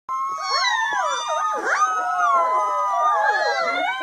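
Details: Puppy howling: sustained, wavering tonal howls with rich overtones, several overlapping pitch lines rising and falling continuously for about four seconds, including a long steady slowly falling tone, with no pauses and no other clear sounds.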